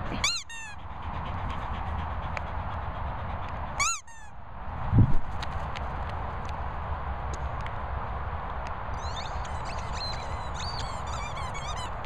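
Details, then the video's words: German Shorthaired Pointer named Daisy squeaking: two sharp, high, sliding squeaks, one at the start and another about four seconds later, then faint thin squeaks near the end, over a steady low rumbling background. "GSP Daisy squeaking."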